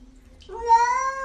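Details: Domestic cat indoors giving a single drawn-out meow, rising gently then holding steady before a sudden cutoff, with a faint low hum beneath.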